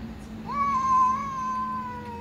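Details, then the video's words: Ginger cat and black cat meowing to each other while a little cat drinks: one long, clear, drawn-out meow with a brief rising start and a level, slowly fading tone, over a steady low hum. "Ginger cat and black cat talk meowing to each other"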